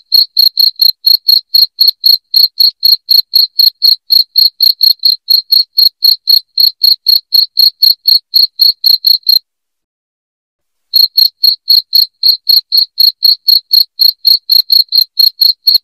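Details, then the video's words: Cricket sound meant to chase away rats at home: a loud, high, even train of short chirps about four per second, broken by a pause of over a second, with no background noise. "SUARA JANGKRIK NYARING PENGUSIR TIKUS"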